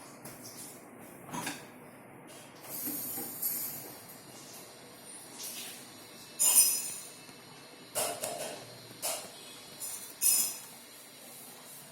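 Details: Only scratchy, hissing rustles and soft knocks in bursts over a quiet room hum are heard, with no animal calls.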